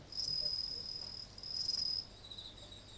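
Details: Insects calling at night on 30 August 2018 in front of a house entrance, with a sense of approaching autumn: two high, shrill buzzing trills about half a second each, separated by a short pause, over faint steady background chirping.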